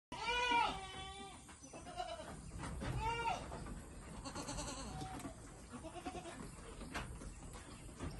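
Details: Imported Saanen dairy goats from Thailand: two loud, wavering nasal bleats in the opening seconds, then another around the third second. Softer, fainter bleats and farmyard rustling follow.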